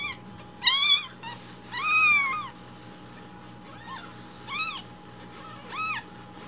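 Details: Rescued baby kittens loudly asking for their morning milk: two strong, high rising-falling mews, then three softer shorter cries spread over several seconds, with a faint steady hum behind.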